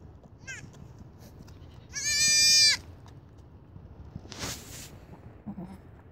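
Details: Greeting bleat from a late-born goat kid to its owner: one loud, quavering cry under a second long, followed by a brief hiss of noise and soft background rustle.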